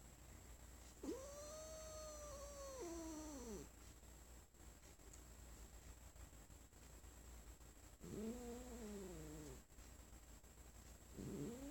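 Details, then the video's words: Domestic cat, female, lying on her owner's lap indoors and growling when petted after the owner coughed; long drawn-out moaning growls, falling at the end, one near the start and another after a pause, with a faint steady hum behind. "my cat won't let me pet her anymore"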